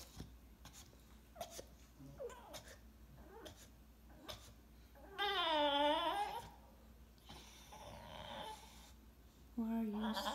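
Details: Pouting English Bulldog, indoors, moaning so his Mom will play with his favorite toy: one loud, curving, harmonic groan lasting over a second, softer whining after it and another low moan at the end, with a woman coaxing him.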